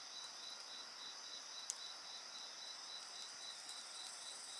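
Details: Steady high insect trill with evenly spaced pulsed chirps about three per second, one sharp bonfire crack near the middle of the short stretch.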